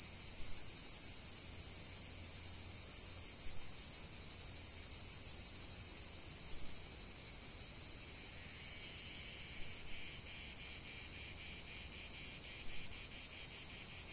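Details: Chorus of cicadas: steady, piercing high-pitched buzzing with a fast regular throb. It thins and quietens toward the end, then abruptly returns at full strength.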